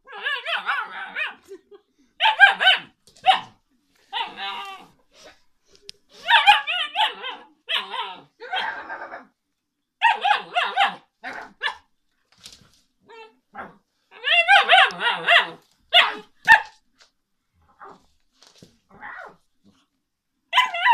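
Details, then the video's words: Alaskan Malamute puppy vocalizing indoors: bursts of harmonic, yowling talk-like calls and yips, clustered in runs of about a second with short pauses, over roughly twenty seconds. "Alaskan malamute puppy talk"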